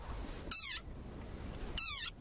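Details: An angry desert rain frog gives its war cry: two shrill, squeaky cries, each about a quarter second long, like a squeezed dog toy.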